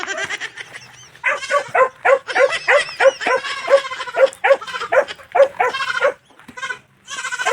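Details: Newly bought goat in La Union, Philippines, on a farm, calling while looking for its mother: rapid, quavering nasal bleats in a steady run of roughly three or four per second, stopping briefly near the end before resuming.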